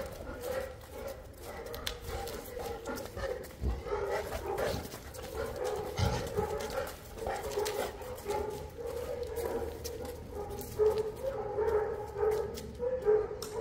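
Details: Boerboel (South African Mastiff) from the Egyptian-based couple Enzo and Diva whines steadily in tonal, wavering notes, with some louder rises toward the end and a few thumps and handling noises.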